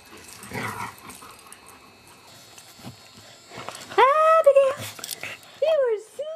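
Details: Abigail, a foster beagle, lets out two clear, drawn-out tonal whines, each bending up and then sliding down, the second following about a second and a half after the first, with soft human voices just before.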